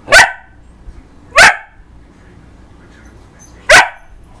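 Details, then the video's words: Domestic dog barks at its reflection, giving three loud, sharp single barks, the first two about a second apart and the last after a longer pause. "barking at reflextion"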